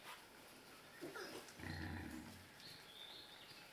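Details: Wild pigs that visit daily and feed on fresh grass and leaves, filmed May 31, 2019: a low, rumbling grunt swells mid-clip for under a second, with faint high bird chirps scattered around it.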